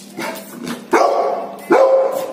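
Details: A Golden Retriever gives a soft, muffled opening sound, then two loud, sharp barks about 0.8 seconds apart. Each bark has a rich, tonal tail that holds steady before fading.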